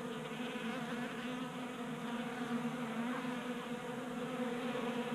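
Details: Many honey bees feasting at a 3D-printed feeder on a workbench in a Colorado garage in January, producing a continuous even hum with no pauses.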